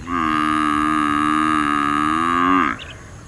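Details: A water buffalo gives a single long, deep moo of about two and a half seconds, held at a steady droning pitch before cutting off abruptly, with faint background hiss.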